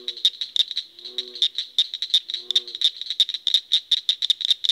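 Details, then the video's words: Frog giving fast, sharp, high-pitched clicks and chirps in an uneven rapid series, with a few soft lower croaks underneath. "Frog sounds"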